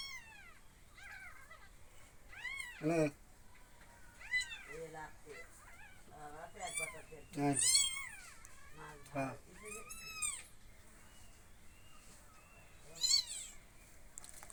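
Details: Kittens meowing while being hand-fed: repeated thin, high, arching mews, some short and some drawn out, scattered over the recording, with a woman talking to them in Bengali.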